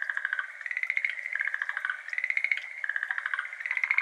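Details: Several Schlegel's green tree frogs, endemic to Japan, call together in the evening of 17 May 2022 at a water-filled iris garden, recorded binaurally. Overlapping trains of quick rattling pulses form a nearly continuous chorus with no real silence.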